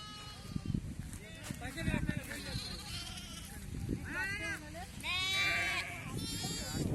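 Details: Amid a sheep flock rounded up for PPR vaccination, several quavering bleats sound in the second half. Men shout instructions, and shuffling and handling noises are heard.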